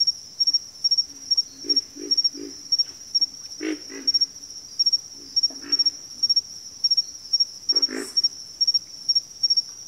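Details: Frogs calling in a backwater chorus, with deep guttural grunts in quick runs of two or three notes, overlaid by a constant shrill, stuttering insect trill.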